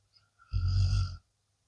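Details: One deep, buzzing snore from a blue Akita Inu deep asleep after a tiring day, swelling for roughly seven tenths of a second and then stopping abruptly, with a faint background hum.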